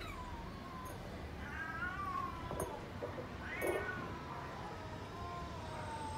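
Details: Cats and kittens waiting for tasty food: several arched, wavering meows rise and fall around the middle, over a long drawn-out tone and a steady noisy background hum.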